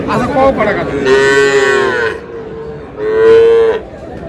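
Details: Sahiwal bull at a farmer's purchase in Cumilla, Bangladesh: two drawn-out, harmonic-rich moos, the first about a second long and the second shorter and steady in pitch, with a brief lower call at the start and faint crowd noise behind.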